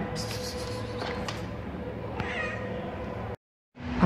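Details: Street cat recovering from pneumonia and lung inflammation, at a vet visit; one brief, thin meow against a constant low hum, cut off by a short silence and then a clatter.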